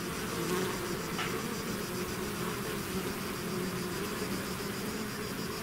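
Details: Swarm of bees out of its hive fills the air with an even, unbroken buzzing drone, low hum bands steady, one short click-like tick early on.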